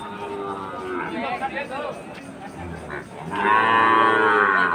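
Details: Sahiwal breed cattle in Jessore, Bangladesh, recorded 13 March 2023 among farm-suitable bull calves: a loud, drawn-out lowing moo with rich harmonics closes the clip after quieter market chatter.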